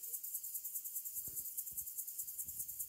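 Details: Crickets in a quiet forest on the Serra do Canta Galo, heard during a mountain-bike descent: a steady high pulsing trill repeating about eight times a second, with faint low thumps beneath.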